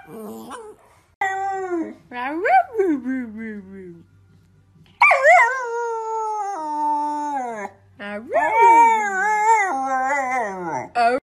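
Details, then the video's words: Dog howling in three bouts: rising yodel-like notes sliding down, a long falling howl held about two seconds, then a wavering, bending howl, with gaps of near silence between. "Funny Dogs Howling - Funny Puppies Howling"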